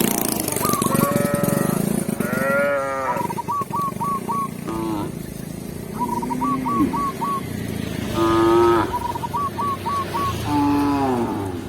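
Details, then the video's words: ['Village cows led by a shepherd back to the pen in the countryside, mooing repeatedly in rich, wavering bellows, several overlapping calls across the clip, with bursts of small high chirping notes between them and steady background noise.'] "Cow Sound, Funny Cow, Cow Moo"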